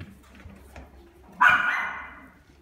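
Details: At a pet shop, a Pembroke Welsh Corgi lets out one abrupt, mid-pitched bark after a quiet moment; it starts loud and fades gradually over about a second against a faint background hum.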